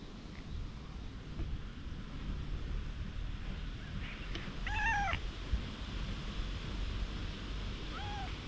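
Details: Stray cat being stroked with a nekojasuri grooming brush, filmed on a GoPro HERO8. It gives two short, bending meows close together midway, then a fainter single meow near the end, over steady low outdoor rumble and wind.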